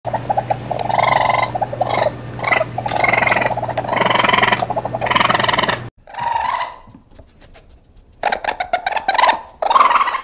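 A raccoon gives harsh, nasal chittering bursts, with a low steady hum at first.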